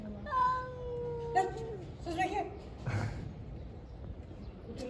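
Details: Stray cats on the street during a fight give a sustained, slightly falling meow-yowl lasting over a second, followed by shorter broken cries, while a man talks in the background.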